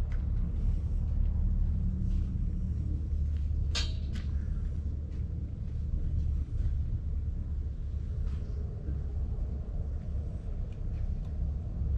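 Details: A continuous low engine-like rumble fills the recording, with a single sharp knock and no animal sounds.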